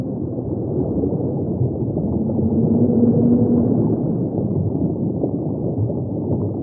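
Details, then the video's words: Humpback whale song in the deep ocean: a sustained tonal moan holding steady for roughly a second and a half near the middle, with a fainter higher overtone, over a dense, rumbling underwater wash. "the song of a humpback"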